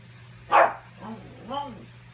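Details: Pug barking at its reflection in a bid to grab its ball; one sharp bark opens, followed by two softer, drawn-out rising and falling tones and a brief spoken word over a low background hum.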